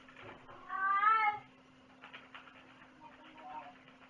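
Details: Cat meowing once, loud and drawn out with a rising then falling tone over about a second, followed by softer rustling and faint mews against a constant low hum.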